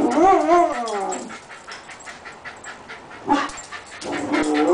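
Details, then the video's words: Australian dingo 'talking' with a brief, wobbling harmonic whine of about one second that slides downward, followed by quiet background and two short voiced bursts near the end. "TALKING AUSSIE DINGO"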